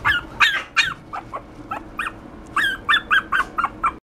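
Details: Poodle x Maltese mix dog yipping in two irregular bursts of short, high, sharp barks, split by a brief lull. The notes vary in loudness, and the last few come in a quick cluster.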